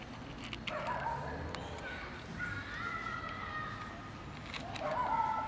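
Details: A kitten that has jumped onto a bench for breakfast meows several times: short tonal cries near the start, a long steady drawn-out meow in the middle, and a falling meow at the end. The calls are quiet over a steady background hiss.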